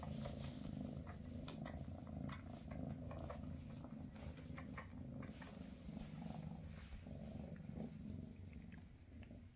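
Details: Maine Coon mother Freya with her kittens on their last day together before they leave for new homes; a steady, low rumbling purr pulses throughout, with faint clicks and rustling above it.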